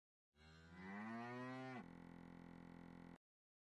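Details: Punganur cow mooing: one long, deep, harmonic-rich moo that rises slightly and holds steady for about one and a half seconds, then a steady buzzing tone, possibly added sound, continues to the end.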